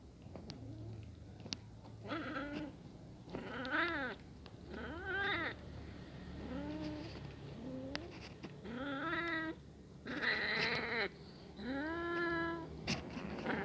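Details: A hungry kitten watches two cats eating together and meows repeatedly, about eight distinct wails at irregular intervals of one to two seconds, each rising then falling in a rich harmonic arch, with one higher, sharper cry near the end and a low hum behind.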